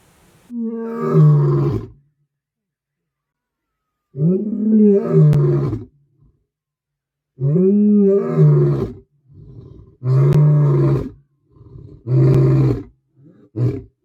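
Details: Male lion in Botswana, protective of his cubs and their mother, giving deep moaning roars: a long groan, then several swelling calls rising and falling in pitch, ending in shorter, punchier grunts, with silent gaps between.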